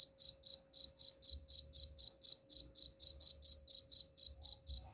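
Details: High-pitched cricket chirps, used as a rat repellent, pulsing regularly around four times per second with a thin steady tone and light low rumble behind.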